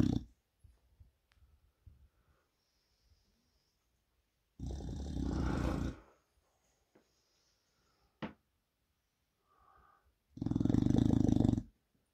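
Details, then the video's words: An English Bulldog snores in loud, rasping bursts spaced several seconds apart, sleeping with his eyes open. "Reg the Snoring English Bulldog"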